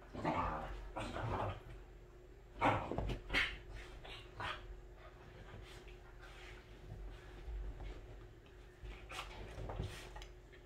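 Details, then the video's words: Welsh Corgi dog at home, behaving this way when in its very best mood; short grumbling, whining bursts in a loose series, louder ones near the start and around the third second, with faint household background. "강아지가 기분이 가장 좋을때 하는 행동"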